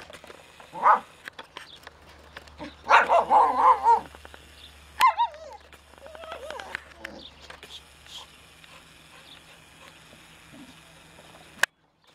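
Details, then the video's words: Cypress, a pet dog, raging at her toy: bursts of strained, whining growls with wavering pitch near one second, a longer rough cluster from three to four seconds, a sharp outburst at five seconds, then quieter grumbles fading out. "Cypress rages at her dog toy"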